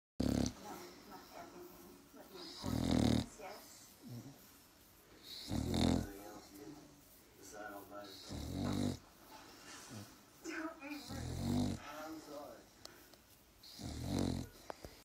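A Staffordshire Bull Terrier snores in deep, rumbling breaths that return roughly every three seconds.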